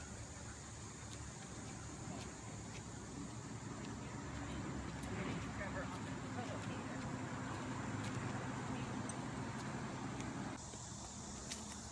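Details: Quiet talking over a background of road traffic, with occasional clicks.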